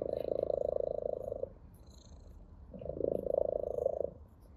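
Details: Purring ginger cat at play with a blade of grass, showing pleasure: two long, steady, throbbing purr phases of roughly a second and a half each, separated by a quieter gap, with faint high rustles.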